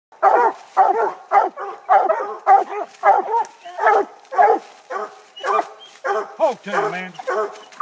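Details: Black and Tan Coonhound treeing, giving a steady run of loud, hoarse barks at nearly two per second, each chopped and slightly falling, with a few longer bawling notes near the end.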